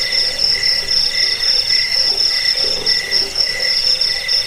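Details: Shrill, unbroken cricket chirping from several insects: a bright high pulsing trill with a softer mid-pitched chirp pulsing at about four per second, and faint low murmurs beneath.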